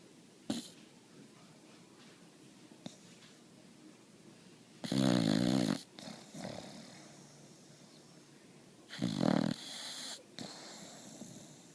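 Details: Boxer puppy snoring: a faint snuffle early on, then two loud, rough, rattling snores about four seconds apart, each lasting around a second and trailed by a softer wheezy exhale, in a quiet indoor setting.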